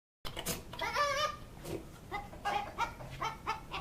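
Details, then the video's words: A goat gives one long, wavering bleat, then a quick run of short, clipped notes that sound oddly like a clucking hen, as if doing a chicken impersonation. "Goat Sounds Like Chicken"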